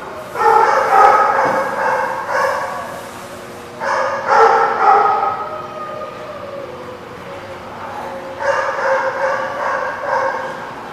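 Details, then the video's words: Dogs barking at The Barking Lot, recorded 23 September 2017: bursts of loud, rough, harmonic barks in quick volleys, with pauses between groups of barks and low murmuring background noise in the gaps. "The Barking Lot"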